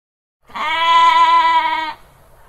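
A goat gives one steady, nasal bleat lasting over a second, with a slight wavering tremble.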